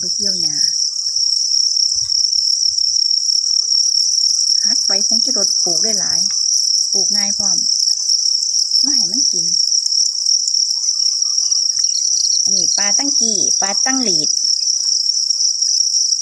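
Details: Continuous shrill buzzing trill from many copper crickets runs from start to finish, interrupted repeatedly by a man speaking Thai in several short phrases.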